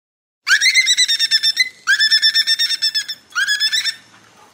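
Three bursts of fast, buzzy squeaks ring out from a dolphin calling above the surface, each a rapid run of harsh pulses. The bursts rise slightly at the start and repeat with brief pauses between them.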